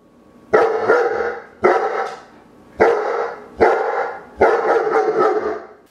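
A German Shepherd gives five deep, forceful barks, each sharp-onset and harsh, spaced about a second apart.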